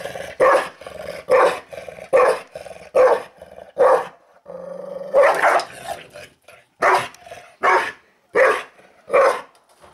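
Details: Angry dog growling and barking while eating, harsh bursts repeated about once a second, with a brief steady tone in the middle of the series.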